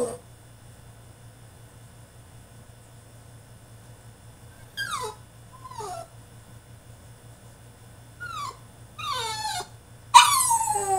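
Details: Tantrum from a French Bulldog shut in his cage: short, sharp yelps and sliding whimpers in scattered bursts, closing with a loud rising-falling cry, faint hum underneath.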